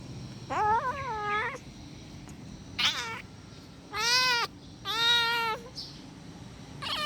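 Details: Angry kitten calling with loud, strained, wavering meows, five main cries spaced unevenly over seven seconds, bright and rich in overtones, one rising into a higher squeal; low background hum.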